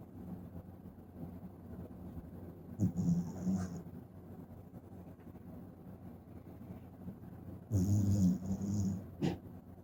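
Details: Shiba Inu puppy Tsukune snoring in sleep: after near-silence, a raspy snore at about three seconds, then a louder, longer gravelly snore with a breathy hiss around eight seconds, each followed by a short catch of breath.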